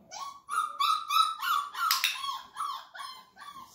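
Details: Flat-Coated Retriever puppy, 34 days old, whining at feeding during a first clicker session: a rapid run of pitched whimpers, about three per second, each with bright overtones, broken by one sharp clicker snap midway.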